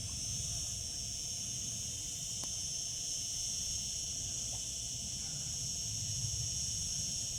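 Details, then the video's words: Continuous shrill drone of cicadas singing in summer, steady and unvarying, interrupted only by one sharp click partway through, with low rumble beneath. "Cicada sounds, cicadas singing in summer."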